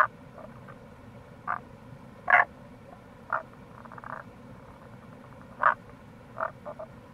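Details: Near a gorge along the Kamo River in Itoshima, Fukuoka, April, a Tago's brown frog gives sharp single croaks about every second or so, interspersed with a faint buzzy pulsed trill, against running-water noise.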